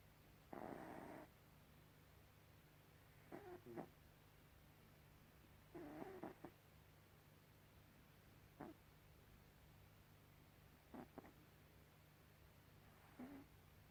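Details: Sleeping cat Gribouille lets out one loud raspy snore, then softer snuffling breaths and small clicking sounds at irregular intervals, over a constant low hum.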